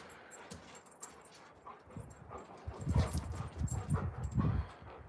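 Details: Two Alaskan Malamute puppies, Moose and Raven, each around 100 lb, playing outside near a deep hole they have dug. Quiet at first, then low rumbling growl-like bursts in quick succession during the second half, with faint rustling.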